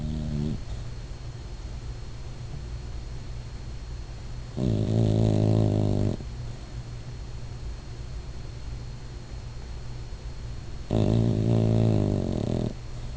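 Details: Pet dog snoring while dreaming indoors: two long, rasping, low-pitched snores, each lasting about a second and a half, set apart by quiet breathing over a steady background hum.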